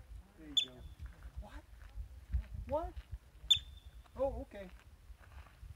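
A yellow-bellied marmot gives two sharp, high chirps about three seconds apart, with people talking nearby.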